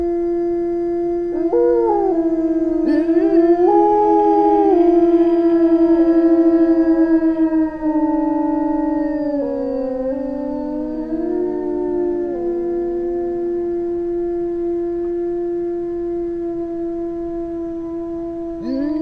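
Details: Small pack of Eurasian wolves howling together in the Finnish taiga; long sustained tones overlap, several voices rising, wavering and sliding down at different pitches, building into a layered chorus before settling into steady drawn-out notes.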